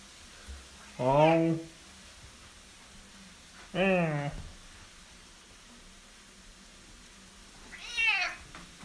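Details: A very vocal male Bengal cat, which often sings this way from one spot in the house at 5 in the morning, gives three drawn-out, wavering meows, each rising then falling in pitch.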